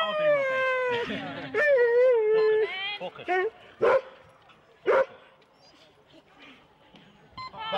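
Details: Four-dog Husky sled teams waiting at the start in Rendlesham in January 2016, taped on analogue cassette: long, high, slightly falling whines give way to sharp isolated yips spaced about a second apart, then quieter stretches.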